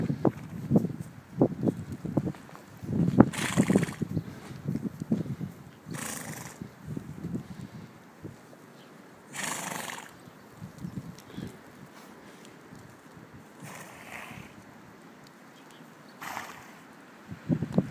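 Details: A horse rolling about in a snow bath just after leaving its stall, 12 03 13: low thumps and shuffling with several short, breathy, broadband snorts scattered through the clip.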